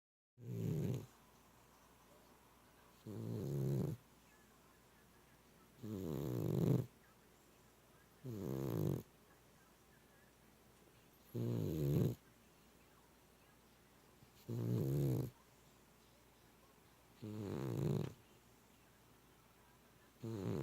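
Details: Male pet cat snoring loudly indoors, loud enough to wake its owner; deep, rumbling breaths in a steady rhythm, seven snores about every three seconds with near silence between them.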